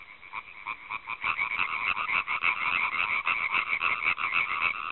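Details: Rapid, grating croaks of a European tree frog (Hyla arborea), recorded with a Panasonic GH4 camera, start softly and quickly grow loud, repeating several times each second in an unbroken chattering run.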